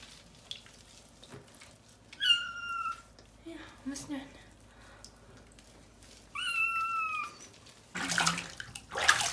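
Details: Maine Coon kitten Molly meowing during her first bath on 22 January 2018. Two drawn-out, high, slightly falling meows, soft speech between them, and a burst of running water near the end.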